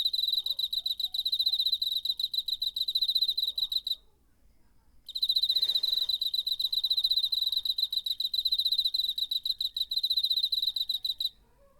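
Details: High pulsed trilling of a cricket, recorded September 2019 on a DR-05: a four-second bout, a short gap with a faint soft rustle, then a longer run of rapid chirps for about six seconds.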